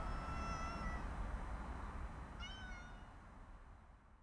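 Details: A napping cat, woken on a walk, lets out two brief meows: a level first one and a quick falling second one over loud, rushing background noise.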